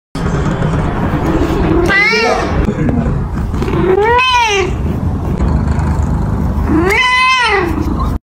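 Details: Cat giving three long, drawn-out meows spaced a couple of seconds apart, each rising then falling in an arched, harmonically rich wail, over a constant low rumbling background.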